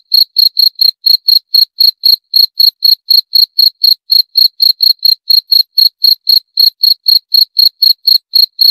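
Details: Shrill cricket chirps pulse evenly at around four per second without interruption, each one short and piercing, against total silence.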